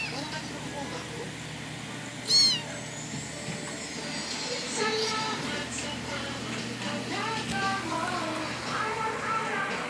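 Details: A cat with black lips gives several short meows, each rising then falling, spread over about ten seconds, amid steady background speech, music and a brief high whistling sweep near the start.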